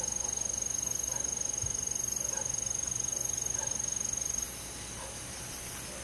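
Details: Crickets on a summer night in a forest, a loud, high, evenly pulsed trill and recurring higher chirps; the main trill stops after about four and a half seconds, leaving softer insect background.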